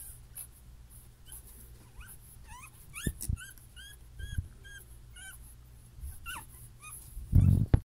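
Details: A puppy, one of a litter of six from champion parents, giving a series of short high whimpers and yips, some rising and falling, repeated through the recording, ending in a loud handling thump.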